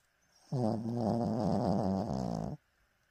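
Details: Elderly 14-year-old dog sleeping indoors after eating a large breakfast, dreaming; a single rough, buzzing snore lasting about two seconds, steady and low with a slightly wobbling pitch.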